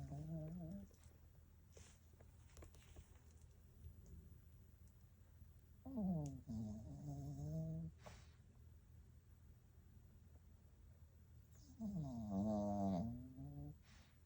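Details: A sleeping rescue Pekingese snores in low, rumbling bursts with soft breathing between them.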